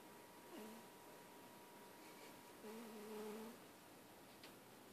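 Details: Wheezy purring from a pet cat indoors: two brief whistling, nasal tones with a slight upward bend, separated by quiet breathing, over faint room hum and a light tap near the end.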